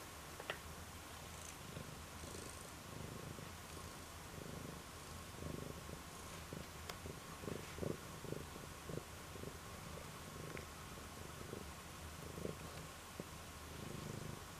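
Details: Domestic cat purring: a steady low rumbling purr continues throughout, with soft pulsing texture, under a constant hum and a few faint clicks.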